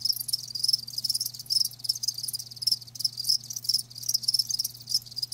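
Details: High, rapid pulsed chirping from live crickets, bursts following one another almost continuously with tiny breaks, steady low background hum.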